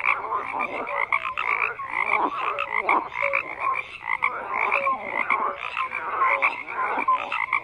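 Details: Croaking frogs in a thick chorus, repeated raspy bursts roughly twice a second with short whistle-like notes dropping in between, several animals calling at once.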